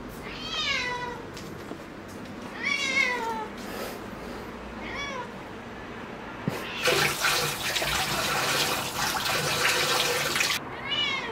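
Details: Cat near foxtail grass meowing in descending, harmonic-rich calls, three in quick succession, then a long burst of rushing water-like noise before one more meow at the end.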